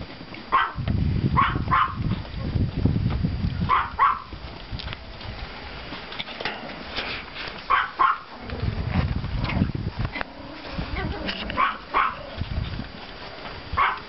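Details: Pomeranian puppies, litters 32 and 35, playing in a snowy yard on 5.04.14 after fresh snowfall; repeated high-pitched yaps, often in twos and threes, scatter through the clip amid low rumbling handling and footstep noise.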